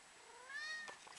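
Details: Female kitten talking back to its owner with a single quiet, thin meow that slides steadily upward and then cuts off, followed by a faint click.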